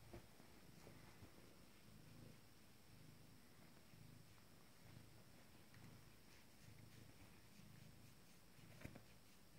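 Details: A 19-day-old Abyssinian kitten, a little female from a first litter, stretching her legs: a soft, low rumbling purr pulsing in steady rhythmic waves throughout, with faint rustling in a quiet room.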